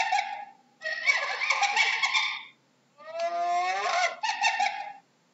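A hyena gives two bursts of harsh, squealing, giggle-like calls with rising and falling tones.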